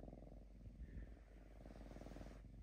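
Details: Drowsy pet lynx Diva, falling asleep with her third eyelid showing, purrs in a deep, even, tractor-like rumble of rapid low pulses, steady for nearly three seconds in a quiet room.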